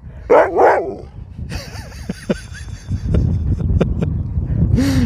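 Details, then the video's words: Sherpa, a pet pup that keeps 'talking' nonstop to his owners, lets out two quick, wavering yowls in a row. Scattered clicks and handling noises follow, then a short rising-and-falling whine at the end. "This dog wont stop talking!"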